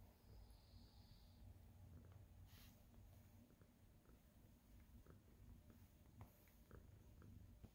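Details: Abby Tabby, a senior tabby cat indoors, purring happily while kneading and making biscuits, glad to see her owner, recorded 4/27/2023; steady low rumbling purr throughout with faint scattered soft clicks and taps nearby.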